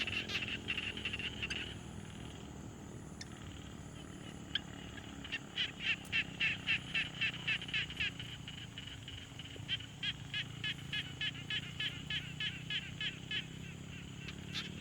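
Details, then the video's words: Pond frogs recorded in the field on a Tascam Portacapture X6, calling in faint, evenly spaced high ticks that build into a steady rhythmic train of about three pulses a second, against quiet, hissy outdoor ambience. "Frog Sounds"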